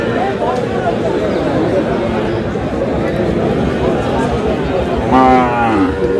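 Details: Sahiwal bull calves at a busy cattle market near Chattogram, 13 June: one brief, loud, harmonic moo breaks out near the end, over steady crowd chatter and men talking about the animals.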